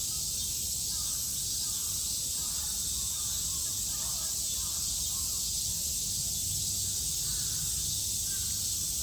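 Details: In Japan's summer of 2022, cicadas keep up an even, piercing drone, accompanied by soft, repeated crow-like calls in the background.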